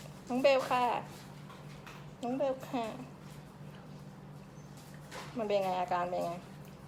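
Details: Little Pembroke Welsh Corgi puppies kept at a kennel in Samut Sakhon, Thailand, whimper in three bursts of quick, wavering, high-pitched cries, each a cluster of rapid notes, with a constant low hum behind them.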